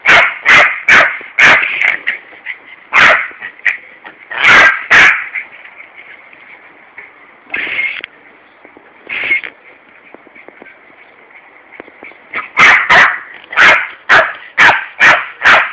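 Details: A Yorkshire Terrier yaps in sharp, high bursts at a garden hosepipe as its owner waters a lawn on a warm summer day in Corby, England, with running water hissing steadily behind.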